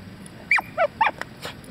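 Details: Nine-month-old female Staffordshire Bull Terrier doing basic training and tricks, letting out a quick series of three or four short, high, falling whimpers and yips within about a second.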